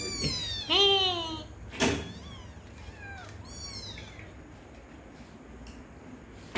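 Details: Cats at dinner in a home with kittens, named Pinki and Prithibi, drinking milk: two loud harmonic meows near the start, each rising then falling, a sharp knock, then a softer meow and quieter calls over low hum.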